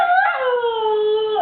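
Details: Female Husky puppy Tundra cries while being scolded by her owner as a crybaby, giving a single sustained howl-like whine that dips in pitch and then glides slowly lower for about one and a half seconds.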